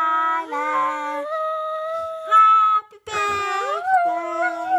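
A Siberian Husky howls in long, wavering tones that slide up and down alongside people singing.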